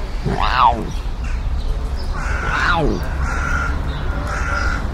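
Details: A sand cat (Felis margarita) in nature gives two harsh, bark-like calls, each rising briefly then sliding down in pitch.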